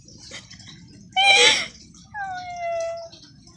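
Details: A pet dog protests while its owner does homework, giving a brief harsh yelp followed by a drawn-out whine that starts higher and slides slowly downward before fading out.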